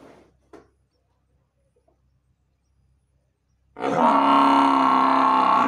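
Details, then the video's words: Murrah buffalo letting out a loud, sustained, richly harmonic bellow that begins after nearly four seconds of near silence, which is broken only by two faint short knocks. "मुर्रा भैंस की आवाज"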